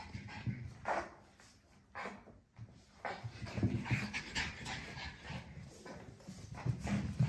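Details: A puppy panting in quick, breathy huffs, several per second, uneven in strength, with low rumbling and rustling handling noise underneath.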